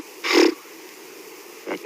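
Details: A blue wildebeest on an October sunrise safari in Africa, wary of people checking they are no threat, gives a short harsh nasal alarm snort, then a fainter second snort.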